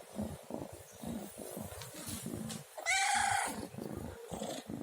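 A domestic cat gives a short, clear meow over a steady low purring rumble.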